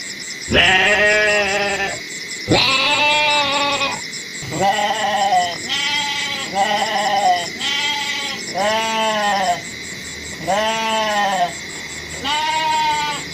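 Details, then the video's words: Series of seven nasal, quavering goat bleats, each about one to one and a half seconds long with arched harmonics, coming roughly every two seconds over a continuous high rhythmic pulsing buzz in the background. "SUARA KAMBING UNTUK HIBURAN ANAK-ANAK - KUMPULAN KAMBING BERSUARA"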